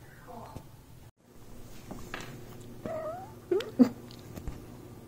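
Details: Domestic cats touched while they sleep; soft brief chirps and a small wavering meow, with quiet rustling and a couple of louder bumps indoors.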